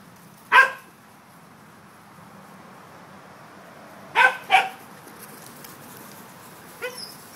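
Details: Corgis playing outdoors on an October day, three dogs present: three short, sharp barks, one alone and then a quick pair a few seconds later, followed by a faint final yip over a steady low outdoor hiss.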